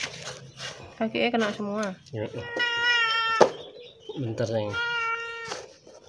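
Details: Hungry, thirsty stray cat badly sick with scabies cries for help at a house: two long, strained, steady meows about two seconds apart, with people talking nearby.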